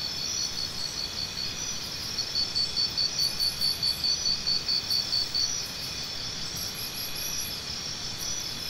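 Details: A cricket gives a three-second burst of rapid, evenly spaced high chirps, several per second, set against a constant shrill background drone of other insects.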